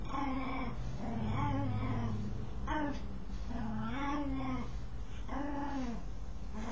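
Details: A dog scratching itself makes strange arched whining groans, several in a few seconds, each swelling up and falling away, with a low droning hum underneath.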